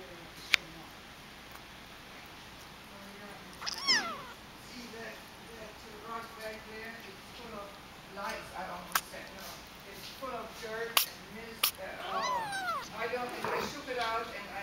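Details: Kitten sneezing and meowing indoors: sharp sneeze clicks, then several thin, wavering, rising-and-falling meows, clustered toward the end, while a person talks softly nearby.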